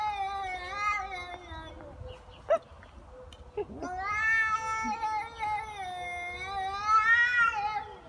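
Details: Very angry cats in a fight give repeated long, harmonically rich yowls that waver up and down in pitch, with brief clicks and a short pause between howling bouts.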